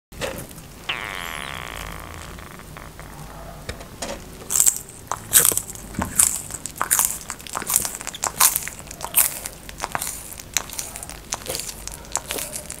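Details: Tortoise eating, heard close up: after a quiet opening with a faint steady tone, sharp dry crunches and bites come irregularly from about four seconds on, with crackling between bites.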